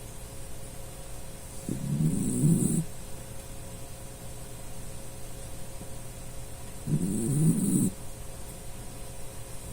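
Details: Sleeping Dachshund named Puchi, who often snores like a person, giving two low rumbling snores about five seconds apart, each lasting roughly a second, with quiet breathing between.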